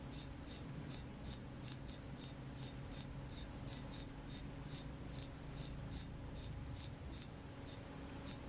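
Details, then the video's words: Crickets at night chirping in a steady series of short, high, bright pulses, about two to three per second with a slightly uneven rhythm, over a faint low background hum. "The sound of crickets at night"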